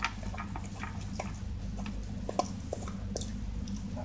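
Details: Ruby, a Shiba Inu, eating breakfast with gusto: a rapid run of crisp crunching and clicking bites, several each second, over a steady low indoor hum.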